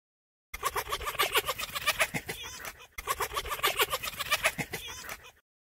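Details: Foxes giving a rapid, rattling chatter of harsh broadband pulses, several per second, in two bursts separated by a brief pause.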